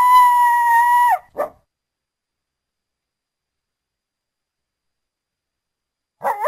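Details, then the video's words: North American coyote holding a steady, clear howl for about a second, dropping at the end, then one short bark, a long silence, and the start of another wavering call. "The sounds of the North American coyote"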